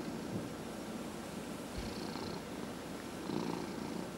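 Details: Head massage for a 14½-year-old male house cat, which purrs throughout: a constant low throaty rumble, with a short thump near the two-second mark and slight swelling toward the end.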